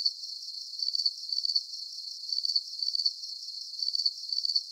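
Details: Crickets chirping for deep sleep relaxation: high, thin pulsed trills in short bursts roughly twice a second over a steady insect hiss, with no low sounds at all.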